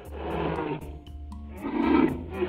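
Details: Polar bear. A polar bear lets out two deep, rough roars with a growling rasp, each rising and falling over roughly a second with a brief pause between. Faint steady tones, possibly music, sit beneath the calls.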